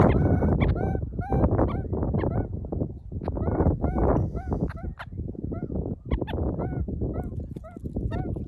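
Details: Meerkats perch on a person as a vantage point, accepting them as part of the group, and give a rapid stream of nasal, squeaky chirps over heavy low rumbling and handling noise.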